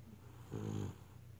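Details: Beagle asleep, giving one brief snore: a coarse, throbbing low rattle swelling and fading within half a second over a constant faint background hum.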